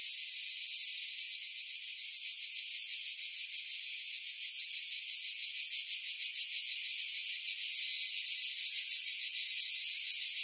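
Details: Cicadas singing in pine trees about 50 m above the sea at Pefkos Bay, Skiros Island, Greece, in July 2018, recorded with a Sony RX3 and external mic; a continuous high, hissing buzz, pulsing faintly and swelling toward the end, with wind noise filtered out.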